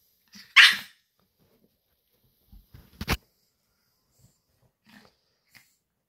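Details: Pet Pomeranian alerting its owner that it is time: one loud, bright yap, then a sharp click and a few faint snuffles in a quiet room.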